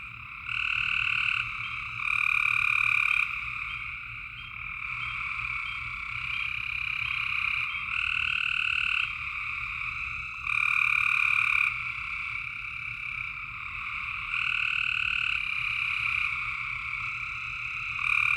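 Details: Tennessee frogs calling after dark in a thick chorus; long trilled calls overlap into a constant buzzing drone, punctuated by louder surges lasting one to two seconds at irregular intervals.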